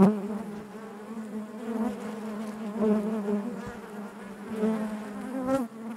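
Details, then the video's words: Honey bees buzzing inside their hive: a dense, steady drone with a strong low hum and stacked harmonics, rising and falling in waves of loudness, with brief sharper buzzes of single bees passing close. "bees therapy hive natural buzzing sound"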